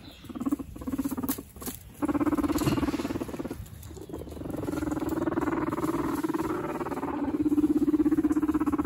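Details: Two male guinea pig brothers fighting for dominance among a large indoor herd, giving a steady low rumbling purr of rapid pulses, about 200 per minute, with brief gaps and a few sharp clicks.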